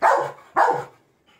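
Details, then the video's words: Labrador Retriever named Febby, a pet dog reacting to a dancing doll indoors, gives two loud, sharp barks about half a second apart, followed by a brief faint trailing sound. "labrador dog//cute reacting//Febby dog and doll //reaction to a dancing doll"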